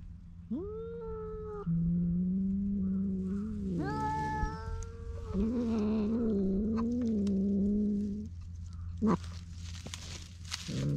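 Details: Feral cats on a cat island in Japan quarrelling over a fish, GoPro recording: long wavering yowls rising and falling for several seconds, followed by scuffling noise and a short final cry, over a low hum.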